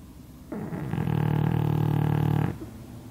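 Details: Loud snoring from a pug dozing beneath a hanger rack, a single coarse, vibrating breath of around two seconds that swells and then stops.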